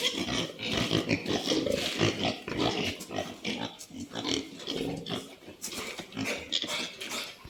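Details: Pigs on a farm kept by a Santali farmer make dense, rough grunts and harsh squeals that overlap almost continuously, with sharp high bursts scattered throughout.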